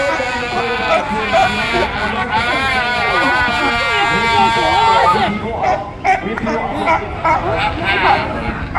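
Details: Captive California sea lions being hand-fed fish by visitors give hoarse, wavering, bleat-like barks and funny vocal noises over a murmur of human voices.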